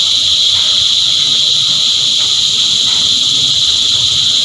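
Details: Massed cicadas sing an even, shrill, hissing buzz held at a constant high pitch for the whole stretch, with a second thinner band higher still.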